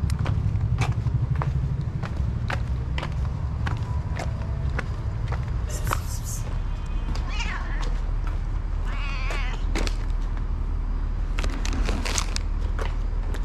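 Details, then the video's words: Hungry stray cat meowing for food at a daily feeding, giving two or three wavering, rising-and-falling meows mid-clip over constant low traffic rumble, sharp clicks and taps, and a woman speaking Korean. "The hungry cat meows"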